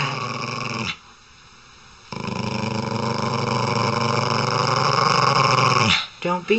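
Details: Domestic dog: after a short quiet gap comes a long, low, rumbling growl held steadily for about four seconds, then a brief break and a few short, higher sounds at the end.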